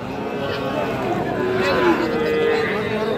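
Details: Friesian and crossbred bull calves at Raniganj cattle market, Dinajpur, Bangladesh, on Thursday 31 July 2025: a steady, drawn-out tonal moo rising out of a crowded market din with voices.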